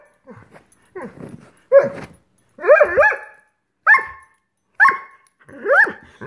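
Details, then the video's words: Greyhound indoors, frustrated that dinner has not yet been served, throwing a tantrum: a run of whining yips and short barks, rising and falling, several closely spaced, then strained whimpers roughly once a second. "Greyhound Tantrum"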